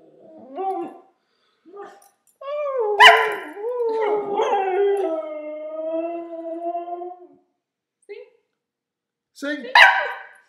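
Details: Denali, a two-year-old pure-bred Siberian husky, singing: short wavering whines and yodels, then a long drawn-out howl with wobbling pitch lasting several seconds, ending in a sharp rising yelp after silence.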